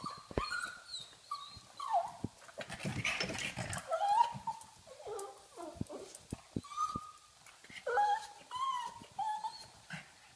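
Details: Playful female pug whining to play, giving nasal whimpers and short squeaky yelps with sliding pitch, broken by a burst of rustling and a soft voice in the middle.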